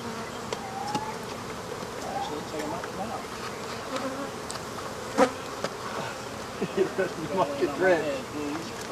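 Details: During removal of an African honey bee hive, single bees buzz close by with wavering, rising and falling whines over a low colony drone. Scattered clicks of work and some people talking.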